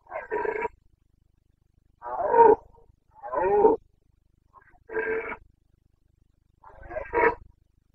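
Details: Rutting Carpathian stag, a red deer of the Bucovina mountains, calling in breeding season, 29 September 2022: five gruff, harmonic-rich roars spaced roughly every one to two seconds, each about half a second long, over a quiet background.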